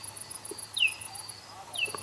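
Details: Common noctule echolocating at night by an old oak, picked up with an ultrasound detector; two shallow downward-sweeping calls about a second apart, over a faint steady ticking of regular pulses from the detector.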